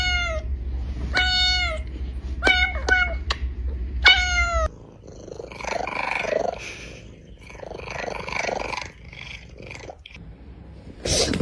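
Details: A brown kitten, meowing to attract cats, gives a quick series of five short, bright meows in the first few seconds, followed by muffled speech and music.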